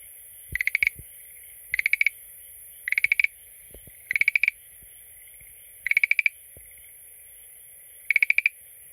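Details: Schlegel's green tree frog calling at a water tank it visits every day: rattling bursts of about six rapid clicky pulses, repeated every one to two seconds, with a few soft low knocks and a steady high hiss behind.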